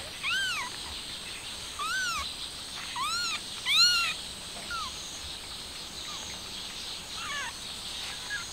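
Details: Stray mother cat trying to take her kitten outside, high arched meows repeated roughly every second or two, several louder in the first four seconds, over a steady hiss of outdoor background noise.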